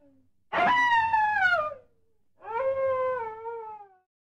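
A coyote gives two drawn-out howls, the first wavering and sliding down from a higher pitch, the second lower and steadier before fading.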